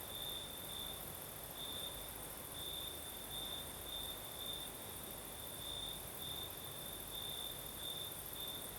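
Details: Crickets sing through a southern Crimean night as the breeze blows: bright, even high trill broken into rhythmic bursts roughly twice per second, steady throughout, backed by soft wind noise.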